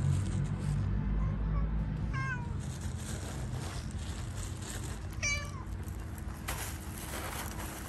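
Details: Gray stray cat in a city, dancing on a car while waiting for petting and attention, gives two short, falling meows about three seconds apart over a steady low rumble and faint background music.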